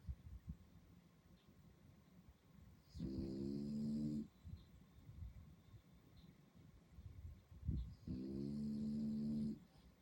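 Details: French Bulldog puppy asleep at night in Singapore, snoring in two long harmonic rasps of about a second each, roughly five seconds apart, with soft breathing noise and a faint background hum between them.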